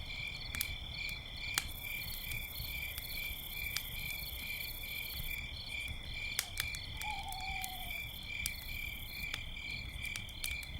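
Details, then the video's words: Night chorus of crickets near a campfire: continuous bright, high-pitched trilling that never pauses, over crackling fire pops, with one short low owl hoot partway through. "campfire night sounds - with owls and crickets"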